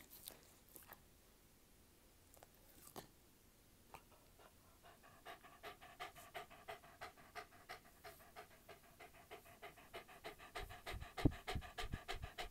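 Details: Dog chewing, recorded close up: a few scattered clicks over near silence, then steady rapid crunching clicks, about three per second, growing louder toward the end.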